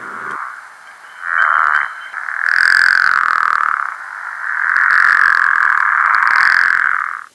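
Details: Pickerel frog in a swamp in Northern Virginia, calling on a dark night in March: low, rattling snore in long, drawn-out bursts.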